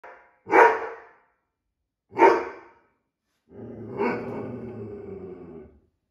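An Irish Setter gives two sharp, full barks about a second and a half apart, then a longer rougher bark.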